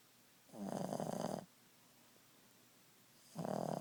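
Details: At nap time, Ziggie the Boston Terrier lets out a long raspy snore lasting nearly a second, then a quiet gap, then another snore beginning; low rattling breath in a quiet room.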